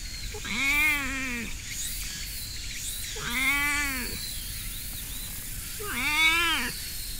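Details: Petted stray cat on a hiking path giving three strange, slightly wavering meows, each about a second long and evenly spaced, harmonically rich and bending up then down, against steady high-pitched insect-like outdoor noise.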